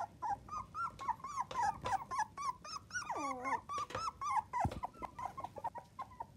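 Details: Seven newborn Miniature Dachshund puppies, from 2 to 25 days old, cry indoors in quick succession, about three or four squeaky whimpers a second, arched and high, with one longer falling wail and a low thump near the end.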